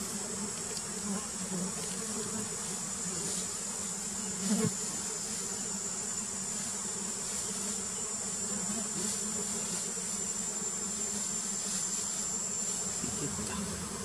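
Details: Wild giant honey bees (Apis dorsata) humming steadily as their queen is painted, a low layered buzz throughout, one brief louder bump near the middle, and a persistent thin high whine.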